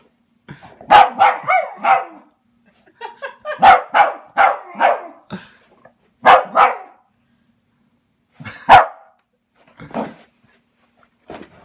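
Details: Welsh Terrier indoors attacking a felted robin Christmas ornament, giving bursts of loud, harsh barks in quick runs of three or four, separated by short pauses, with a few softer single barks near the end.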